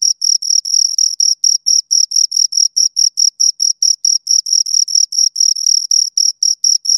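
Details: Close chirping of two crickets: quick, piercing, evenly repeated pulses, some doubled or lengthened, a high ringing tone with a thin overtone above, steady throughout.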